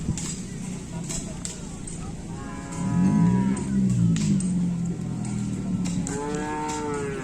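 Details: Racing bull of the host team at a kerapan sapi bull race at Asemanis, Madura, giving a drawn-out low moo around the middle, followed by a second rising call, over crowd noise and background music.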